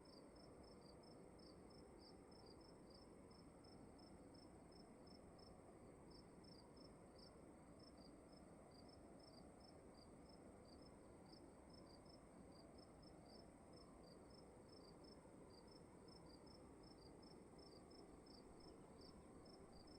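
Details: Crickets in a room keep up dense, rapid high chirping for the whole stretch, pulses tumbling close together, beneath a steady high whine and low, even background noise.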